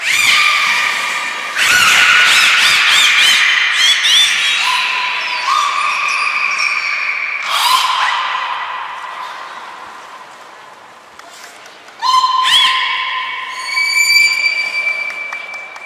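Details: Beluga training with Nana, Mirai and Niko at Port of Nagoya Public Aquarium, January 2021; squealing, squawky calls mix with flat and stepped whistles at shifting pitches, in loud bursts that fade and return over sixteen seconds.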